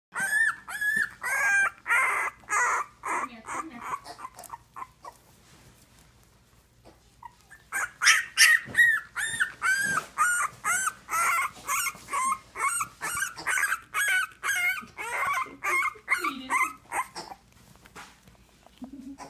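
English Bulldog puppies give rapid, high, squeaky whimpers and yelps in quick overlapping bursts.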